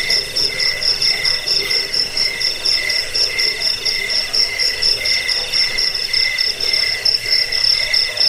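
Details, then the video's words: Steady chorus of cricket chirping, offered as a rat repellent, a sleep aid and a tutor for caged birds; rapid high-pitched pulses come in short repeated bursts, overlapping so the shrill ringing barely pauses. "Suara jangkik pengusir tikus pengantar tidur"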